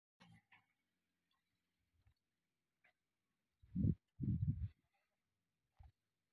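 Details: A camel, one of those brought to a private farmstead in Northern Kazakhstan for breeding, lets out a pair of low, rough, gurgling groans, each under a second, amid faint clicks and soft thumps.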